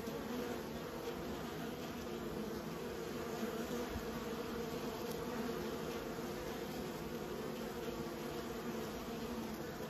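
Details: Kept honey bees humming in a continuous, even drone of many wingbeats, with a faint click near the middle and no other clear sounds.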